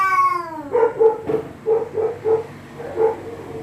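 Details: Cats threatening each other at night: a falling harmonic wail at the start, then a string of short, low, throaty pulses repeated roughly every third of a second.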